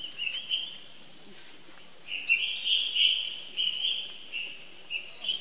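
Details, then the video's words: Crying baby monkey summoning his brother Rainbow for help: quiet opening, then a run of shrill, quavering squeals in quick successive pulses, each breaking off and restarting, ending on a higher cry. "Rainbow Run Very Fast While Heard Young Bro Call To Help, Lovely Baby Monkey"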